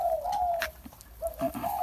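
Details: Bangkaew puppy, offspring of Bai Tong, drinking milk from a large bottle; a thin, steady whimpering whine holding one pitch with slight wavers, breaking briefly mid-way and then resuming, in a quiet indoor setting.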